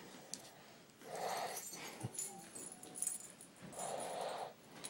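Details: A sleeping female dog snoring heavily: two long, rasping, breathy snores about a second each, separated by quieter breathing with faint clicks and rattles.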